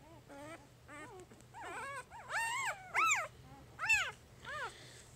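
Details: One of Jig's three-day-old puppies squealing in short arched whines that grow louder and shriller toward the middle, with a steady low hum underneath.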